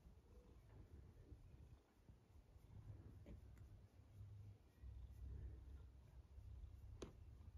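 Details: Cat snoring, with low rumbling breaths in drawn-out bursts of one to two seconds separated by short pauses, plus a single sharp click near the end.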